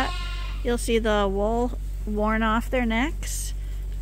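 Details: Bottle-fed lambs at Ewetopia Farms, supplemented twice a day, give three or four drawn-out, quavering bleats in close succession over a steady low background hum.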